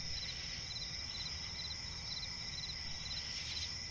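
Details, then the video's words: Crickets chirping at night in a swampy forest: a steady high trill with short pulsed chirps repeated about every half second over a continuous hiss and low rumble. "cricket chirping relaxing sound in night forest"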